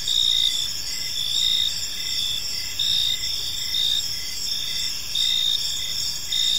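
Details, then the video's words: Crickets chirping in a park on an evening: a dense, steady high trill layered in several bands, pulsing louder roughly every second over a soft background hiss. "Park Serenade: Cricket Sounds in a Peaceful Park"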